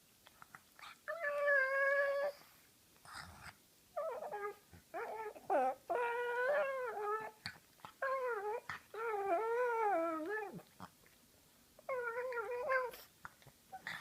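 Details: Indoors, Tyler Durden the pug, a female known as Ty, gives funny warbling whines when her owner plays with her face, a run of wobbling, pitch-bending vocal bursts with brief gaps and light handling noise.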